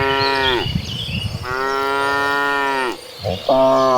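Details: Cows in a herd of dozens heading to green pasture: three long, harmonically rich moos, the middle one sustained for over a second, the last cutting in sharply, with light birdsong behind.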